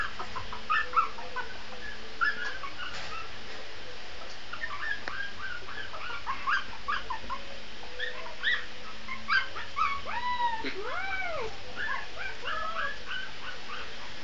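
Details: Shih Tzu puppy howling: a few thin, arching whines that rise and fall, clustered late in the clip, amid frequent short high chirps and squeaks scattered throughout, over a quiet, steady background hum.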